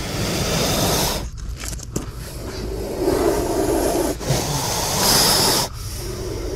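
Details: Scraping and rustling noises over a steady outdoor hiss, with a few sharp knocks and brief gaps.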